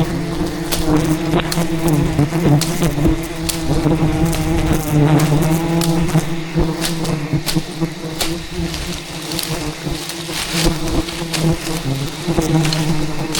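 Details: Wild bees in a rainforest attack relentlessly while honey hunters harvest their giant hidden hive; a loud sustained droning buzz with rising and falling overtones fills the scene, overlaid by repeated clicks and brushing knocks.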